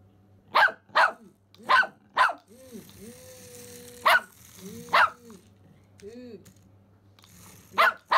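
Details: Pomeranian Simba, worked up over a remote-control rat, lets out sharp high barks in small bursts, broken by a woman's high-pitched rising and falling voice between them.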